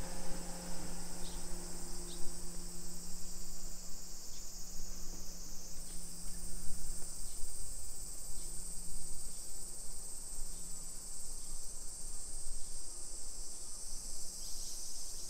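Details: Summer cicadas in suburban Nisshin, Japan, on a July 2021 afternoon: a loud, sustained high hiss that shifts slightly in pitch midway, with soft regular ticking sounds and a low hum underneath.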